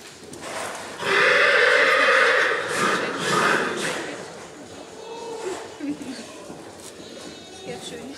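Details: Black Forest Coldblood stallion at the 2014 stallion licensing in Sankt Märgen, shown in hand and free running; one long, loud, quavering whinny lasting about three seconds, then fainter hall noise and voices.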